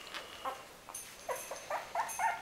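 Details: Winny's litter of puppies: a few short, thin whimpering yelps, sliding notes spaced irregularly and growing denser toward the end, with faint rustling behind.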